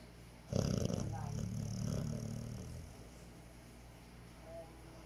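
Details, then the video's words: Pet dog snoring contentedly through an afternoon nap: a single low, rough rumble lasting about two and a half seconds, trailing off into near silence with faint room noise. "My Dog snoring and having a good time"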